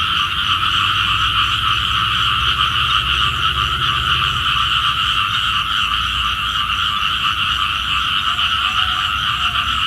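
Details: Frogs croaking early in the morning, a call for rain, as a thick unbroken chorus of fast pulsed notes in two bands, with a brief soft low tone near the end.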